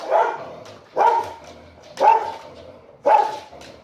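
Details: Pet dog giving territorial barks at the mailman, stirred up by its owner; four loud, evenly spaced barks arrive about once a second, each short and harsh with strong harmonics.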